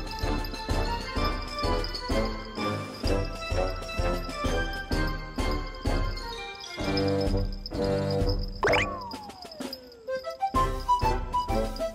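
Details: Bouncy background music with jingling bell-like tones and a brief descending slide effect near the end; no animal voice is heard.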